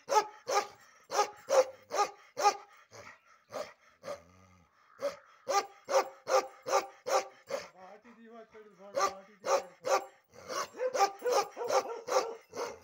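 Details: Bakharwal dog turning aggressive during an ear and tail hair trim, giving bursts of sharp repeated barks about two or three per second, broken by short gaps where faint human voices come through.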